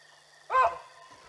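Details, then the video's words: Baboons giving an alarm call on spotting a leopard walking through, filmed by a live stream camera at the Olifants River on 18 June 2020: a single short, harsh harmonic bark over a steady background hum. "the Baboons started alarming"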